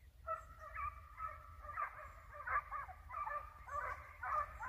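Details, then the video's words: Hounds giving voice while chasing a hare in the field: a pack of musical, drawn-out barks overlapping in an irregular chorus, with steady low background rumble. "Caccia alla lepre SCOVO LEPRE IN VISTA 2 VOLTE"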